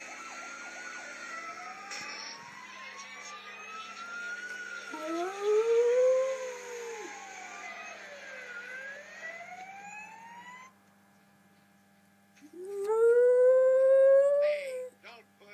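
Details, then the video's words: A male West Highland White Terrier gives drawn-out, rising howls, joining in with emergency-vehicle sirens playing on TV. "Westie - Our Dog Howling at Sirens on TV"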